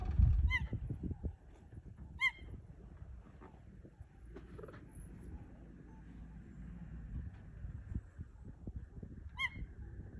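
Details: In the Masai Mara, a female cheetah calls her two cubs to come for food with short, high, bird-like mewing chirps, spaced apart over low background rumble.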